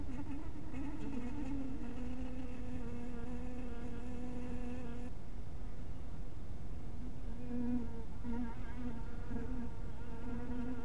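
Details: Honey bees flying at their hive house in crepuscular light: a loud, even buzz for five seconds, a brief lull, then wavering, pulsing hums as bees pass, over low steady background noise.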